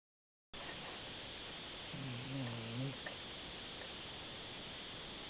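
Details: Gigolo, a sleeping Dachshund, gives one low, rough snore lasting about a second, with a rumbling buzz and faint overtones, followed by quiet steady hiss.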